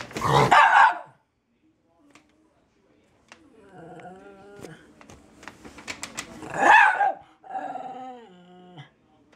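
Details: Female pet dog growling at shadows, a habit repeated a couple of times per week: a loud sharp bark opens, then low wavering moan-like growls rise and fall, another bark-like burst, and a final steady tonal growl.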